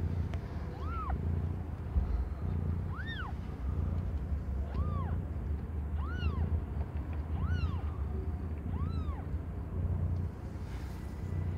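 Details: Aimee, a young domestic cat not yet one year old, giving birth to five differently coloured kittens; clear, thin, arched mews repeat about every one and a half seconds, each rising and falling quickly, over a low background hum.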